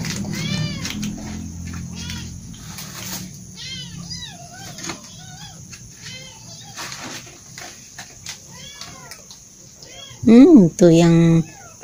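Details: Cute kittens feeding at breakfast time utter a rapid run of sharp, high arched meows, roughly two per second, with a woman's voice, faint music and a loud nearby call near the end.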